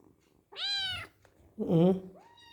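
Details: Very hungry kitten calling while it eats: two loud meows in quick succession, the first bright and arching, the second lower, rougher and more drawn out, followed by a soft rising tail, with faint voices in the room.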